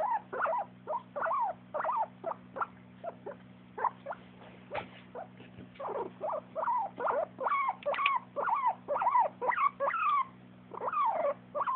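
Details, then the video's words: A dog making happy sounds: short, high, squeaky whines and yips in quick irregular runs, pausing midway and then resuming faster, over a steady low hum. "makes happy sounds"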